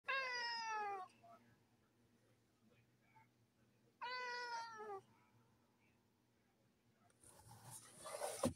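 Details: A domestic cat giving two long, drawn-out meows about three seconds apart, each rich and slightly falling at the end, then quiet and a burst of rustling noise at the close.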